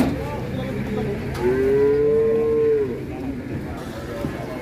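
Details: Big Pegon cattle among handlers in Indonesia; a single clear, steady moo of about one and a half seconds, slightly rising then level, over crowd murmur and voices.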